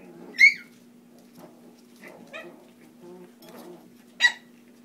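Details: Foster puppies playing indoors utter sharp high yips, two loud ones about four seconds apart with softer whines and grumbles between, over a constant low electrical hum.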